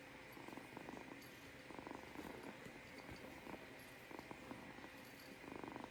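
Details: Kitten purring softly: low, buzzy pulsed rumble in breathing-paced bursts about a second long, quiet against steady background hiss.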